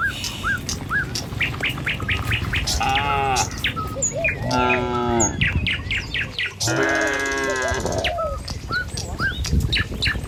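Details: Tame cattle walking as a herd through a village toward the pen in the morning: three moderate moos, each a second or so long, spaced through many sharp bird chirps and tweets.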